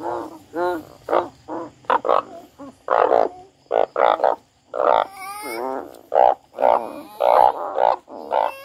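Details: Several frogs crying together, with overlapping nasal croaks of varied pitch, some sliding or warbling, packed closely over a low steady hum.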